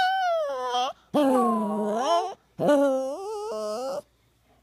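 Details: Poodle named Buddha crying indoors: long high tonal whines that slide downward and then level off, repeated in three drawn-out bursts separated by brief silences.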